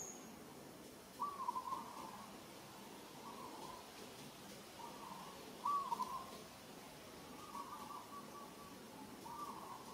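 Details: Newborn monkey Moka, gripped hard by Sada in Kampong Cham Province, Cambodia, gives short mid-pitched tonal cries, about four of them spaced roughly two seconds apart, over quiet background hiss.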